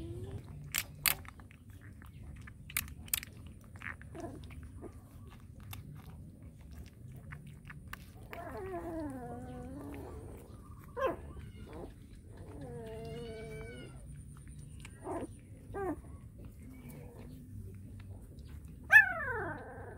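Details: Hungry small puppies being fed: quiet chewing and crunching with a few sharp clicks, then thin, high whining cries with wavering pitch in bursts, and one falling squeal near the end, in a small indoor space.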